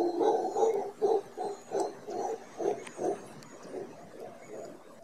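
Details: Morning howler monkey calls close to a balcony in Costa Rica's Guanacaste region: a steady series of about ten hoarse, pulsed grunting barks, roughly two per second, gradually fading.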